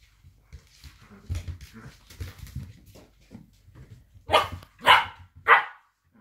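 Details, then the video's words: Two blue roan working cocker spaniels play fighting indoors: a low rumbling growl with scattered huffs, then three sharp, loud barks about half a second apart near the end. "Blue roan /working cocker spaniel/ Dog tv / play fighting"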